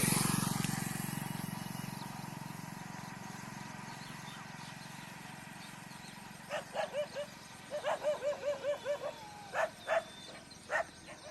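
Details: On a morning walk, pet dogs face off against a gathered pack of street dogs in a fight that recurs daily. A low rumble fades out, then a rapid run of about ten sharp barks follows, ending in a few spaced barks.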